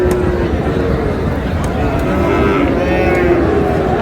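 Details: Friesian and crossbred bull calves at Raniganj cattle market on 10 August, late in the market day; low, drawn-out lowing rises through steady crowd chatter and bargaining voices, with background bustle throughout.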